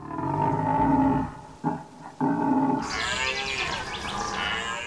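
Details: Red deer stag bellowing in the autumn rut in a northern forest as a challenge to other males: two guttural, harmonic bellows, the first long and the second shorter after a brief gap, then music takes over.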